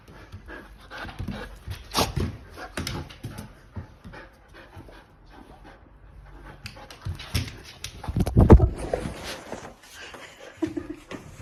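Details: Akita named Monta, excited indoors while repeatedly told "walk"; uneven panting, snorts and scuffling noises, with a louder burst of breathy sounds near the end of the stretch.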